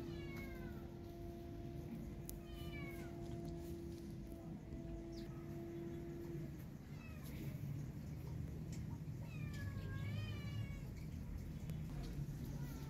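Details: Feral cat named Maya calling for food while her kitten is missing: a run of rising-then-falling meows early on, then another cluster of wavering meows near the end. A steady low hum runs through the first half over constant background rumble.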